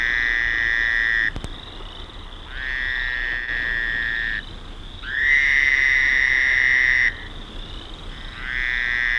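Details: Fowler's toads identified by voice at the mouth of a marshy creek entering Lake Erie, east of Rondo Provincial Park gates, May 20, 1972: long, steady nasal buzzes lasting two to three seconds, overlapping callers with short gaps between.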